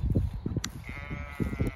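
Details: Zwartbles ewes in a flock out in a field on a farm in County Kilkenny, Ireland, checked for lambing on a chilly, windy day; a short, thin, wavering bleat over heavy low wind rumble and footsteps.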